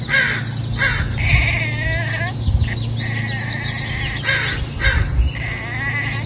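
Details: A male Egyptian Mau cat, perched up high, chirps in short, trilling bursts over a steady low hum.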